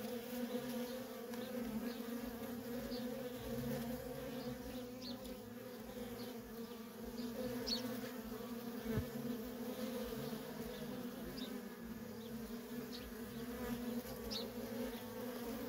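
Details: Nonstop worker honey bee traffic at a feral colony produces a continuous, evenly pitched droning buzz with strong overtones, holding steady throughout with small ripples as bees pass.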